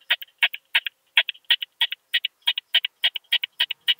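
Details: Curve-tailed plump bush-cricket in Austria, June 2021, producing crisp clicks in doublets and triplets, repeated about three times a second in an even rhythm against a silent background.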